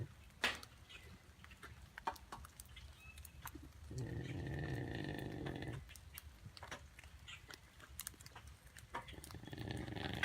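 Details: Diablo, a melanistic black jaguar at Bear Creek Sanctuary in Barrie, Ontario, Canada, napping on a rainy day; a low rumbling snore swells for about two seconds amid faint background clicks and rustles.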